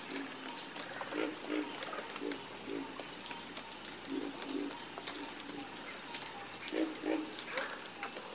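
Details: Chorus of frogs croaking: short low croaks repeated in irregular clusters, overlapping with higher rasping calls, over a steady high insect-like hiss throughout.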